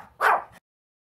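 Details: A dog spinning in circles while barking lets out one short, sharp bark lasting under half a second, then silence.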